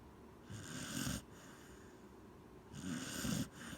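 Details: Corgi named Gen-chan snoring while asleep: two raspy, breathy snores, each about three-quarters of a second long, separated by a quiet pause of about a second and a half, with a low rumbling core under airy hiss.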